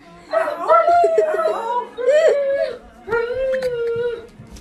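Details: Dog in a funny pet compilation giving three drawn-out, wavering howls, each sliding and trembling in pitch, with short pauses between them.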